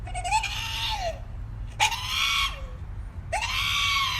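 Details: Dog letting out strange, screaming noises: three loud, harsh cries, each with a tonal core that sweeps up and then falls away, given about every one and a half seconds over a low background hum.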